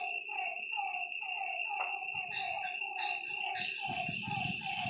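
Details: Nighttime frog calls by a lake: several voices trading rapid downward croaks, a shrill steady drone above, and brief low rumbling noise toward the end.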